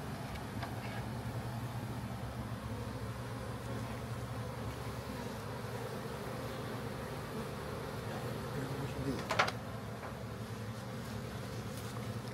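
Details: Massive honey bee swarm found in a backyard and being captured for a new hive: a steady low drone of many wings, with a brief sharp knock near nine seconds.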